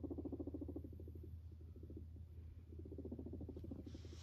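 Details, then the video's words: Pet guinea pig approaching its owner indoors, purring: a low, rapidly pulsed rumble in quick bursts, fading mid-clip and then returning strongly, over a steady low hum. "My Guinea Pig comes up to me and purrs"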